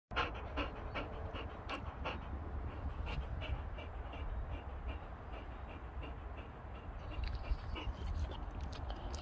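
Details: Boxer dogs seen in close-up; steady rapid panting with soft breathy puffs throughout, quiet indoor background.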